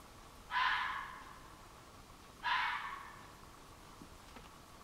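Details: Red fox calling at night from woods behind a flower garden on 23 July 2015, very loud: two harsh, raspy screams about two seconds apart, each lasting around half a second and trailing off, over a quiet background.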